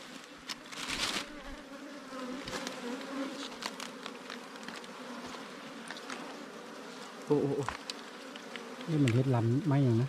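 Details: Wild ground-nesting bees, small cavity bees living in an underground hollow or termite mound, humming as their nest is raided. Steady low droning buzz with layered overtones, broken by clicks and knocks, then brief wavering low tones near the end.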